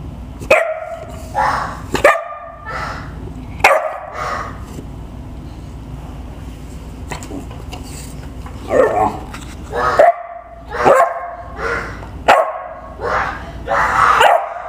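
A dog barks in short, sharp bursts while a child joins in with imitation barks.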